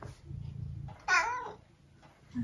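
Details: Eric, a 12-year-old tabby cat from the UK, indoors beside a person sitting on a step instead of feeding him; after quiet talk, one loud, rising-then-falling harmonic meow lasting about half a second.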